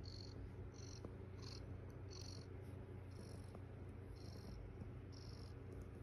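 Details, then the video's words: Low, continuous purring from Estella, a foster mother cat lying with her kittens on the eighth morning, under a rhythmic train of high pulsed chirps recurring roughly twice per second. "Lots of purring😍 Estella my foster kitty and her kittens🥰"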